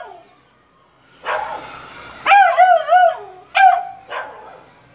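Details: Taffy, a pet beagle puppy, playing with balloons indoors, giving a burst of short wavering yips and barks with howl-like bends in pitch, several in quick succession, then a final softer bark.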